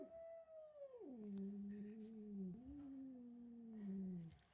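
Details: Cat George, angered by a young kitten named Milo coming into the house and taking his tuna, gives a continuous low moaning yowl. It starts higher, slides down, then wavers and sinks for over four seconds.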